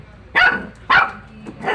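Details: Dog giving two loud, sharp barks about half a second apart, followed by a fainter third bark near the end.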